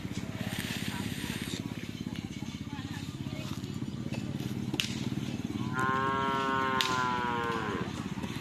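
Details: Cattle at karapan sapi bull race training by team Kalisari Jr at the Asemanis field in Pamekasan, ahead of a major event. A long, harmonic-rich moo falls in pitch near the end, over steady pulsing engine rumble and faint voices.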